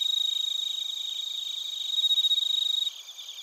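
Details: Crickets, bell crickets among them, calling near Narita in Chiba, Japan, recorded with a TASCAM Portacapture X8; rapid pulsing high trills, roughly four pulses per second, layered over a constant shrill insect drone that drops off abruptly near the end.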